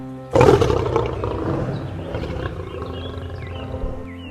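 A lion gives one deep, rasping roar that bursts out loud and fades over about four seconds, with music underneath.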